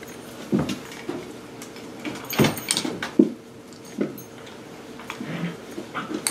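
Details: Seven-week-old puppies of Sparkle's litter playing with their new play station indoors, giving short, irregular yelps and whimpering squeals in scattered bursts, with knocks and light clattering of toys in a small room.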